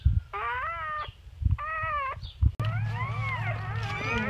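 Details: Freshly born chocolate and black English Labrador pups from Bubbles and Chubbers. Thin, wavering mewing cries come in two clear bursts, then a longer, tangled run of overlapping squeals above a low background hum.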